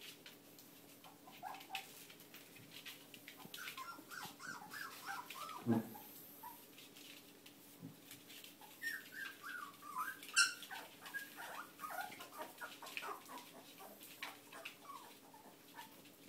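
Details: Whippet puppies, a growing litter: many short, high squeaky whimpers and yelps, irregular and overlapping, with one louder thump near the middle and a burst of squeals later.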